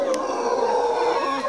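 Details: Howler monkeys near Quepos, Costa Rica, defending territory against a neighbouring troop; a short burst of loud, droning, moaning howl with a steady tone.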